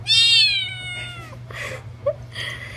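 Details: Cat talking with its owner: a high, clear meow that slides gently downward, followed by softer breathy sounds, all over a steady low electrical hum.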